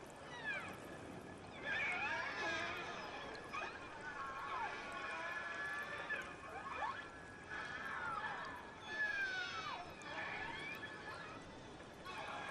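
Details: A small pod of killer whales off the Crozet Islands trades overlapping squealing calls that swoop up and down in pitch, some wavering or buzzy, in an almost unbroken chorus; such cries mean the pod found prey too large and calls for help.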